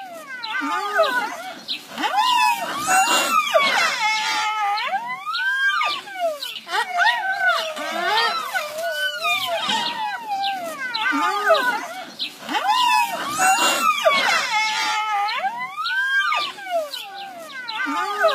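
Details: Orphaned baby rhinos in a rescue's care make odd, squeaky, whining calls, many overlapping rising-and-falling squeals and nasal whimpers repeated continuously over nearly twenty seconds.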